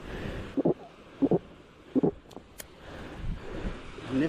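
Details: A rescued young female seal, described as really upset and angry, gives harsh, paired grunting barks in quick bursts over wind and surf on the Namibian coast as she is freed.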